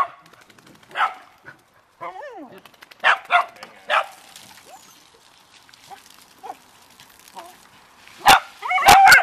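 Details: Family dogs, beagle and dachshunds, barking at leaves during water play; scattered short barks and a whining yelp, with splashing and people's voices, ending in a few loud sharp barks.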